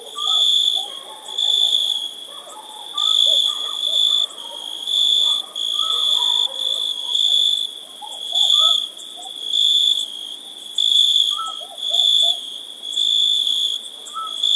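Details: Summer night chorus of crickets, a continuous piercing trill that rises into rhythmic louder bursts roughly every 1.2 seconds, with scattered soft lower chirps from other callers beneath.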